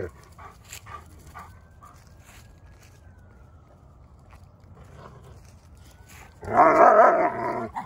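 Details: A German Shepherd and a little dog team up to harass and attack a Boxer; near-silent room with faint clicks, then a loud, rough burst of barking or growling in the last second and a half.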